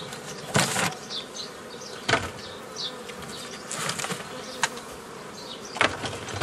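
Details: Honey bees buzzing while beekeepers form nucleus colonies the old way from a previously formed forager swarm, 15 May 2018; a steady low hum under loud knocking and handling clatter, with short chirps from birds overhead.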